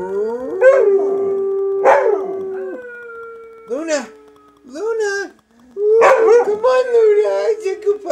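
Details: Several pet Husky dogs howling together at home: overlapping drawn-out howls that slide up and fall away, broken by sharp rising yelps, a brief lull, then a louder chorus of wavering howls and yips.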